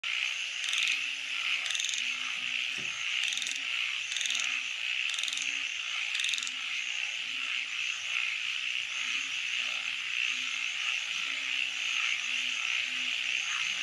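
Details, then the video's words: Frogs calling at night: a steady, dense high trilling chorus runs throughout, with short low croaks repeating about every second beneath it and a few sharp clicking bursts near the start. "Nighttime Frog Symphony"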